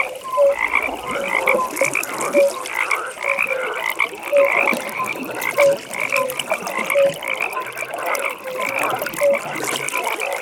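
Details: Evening pond frogs in full chorus: brief deep croaks punctuate a continuous band of quick, ratcheting higher calls, repeated irregularly every second or so, with soft watery ambience.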